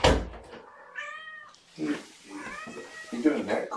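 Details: Foster kittens indoors during the first morning bottle feeding with formula from a syringe; a high harmonic meow rises and falls, followed by a man speaking softly to them, with knocks and handling noises.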